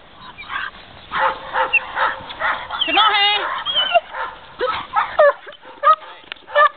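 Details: An 11-month-old Belgian Malinois during IPO defence training on 2 July 2008, barking in irregular bursts mixed with whining yelps and human voices in the background.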